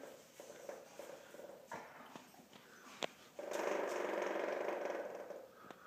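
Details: Weimaraner dog chattering its jaw extremely loudly outdoors in cold weather: rapid, steady clicking rattle, about four per second, growing louder near the end, with a woman asking if it is cold.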